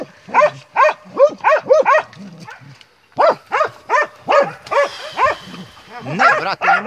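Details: Montenegrin Mountain Hounds of kennel 'Sutorman' baying while hunting: quick series of ringing barks, a pause near three seconds, then barking resumes, overlapping with a hiss of noise and faint human voices.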